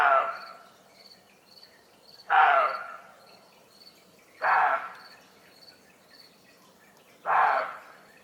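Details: Deer barking at 1:30 am in Germany, scared or unsettled by humans or animals: four hoarse, harsh, broadband barks roughly every two to three seconds, with a steady pulsing insect chirp continuing in the night background.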